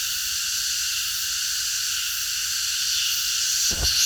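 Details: Cicadas in chorus at night in a park: a dense, steady, hissing buzz fills the high range without pause, with a brief low thump near the end.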